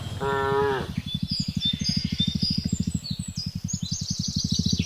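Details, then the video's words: Cattle driven home at late afternoon in a remote village, calling the herd; one short harmonic moo at the start, followed by a steady pulsing low engine drone and high bird chirps. "suara sapi memanggil kawanan"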